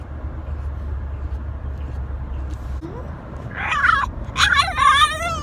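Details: French Bulldog "talking" to his owner, who says he is saying he loves her; after a low, humming start, a burst of high, wavering, whiny yowls fills the last two seconds.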